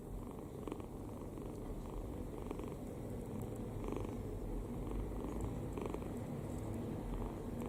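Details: Relaxed kitten asleep with open mouth, giving gentle wheezy snores repeated at an even pace about once a second, each a brief breathy rasp over a low continuous rumble.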